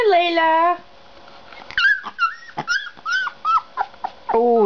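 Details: Puppy making a quick run of short, high, rising yips and whines, several close together, with a person's voice drawn out before them and talking again right after.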